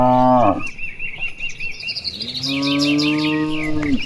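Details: Cattle grazing in wide rice fields on an afternoon, part of a large herd calling back and forth: a short moo opens, then a long, steady, level moo from about 2.4 seconds, with chirping birds throughout.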